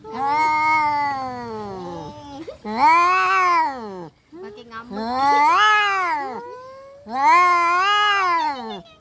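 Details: Fighting domestic cats trade drawn-out yowls, each wail swelling and bending in pitch, three main howls separated by brief pauses, loud and harsh.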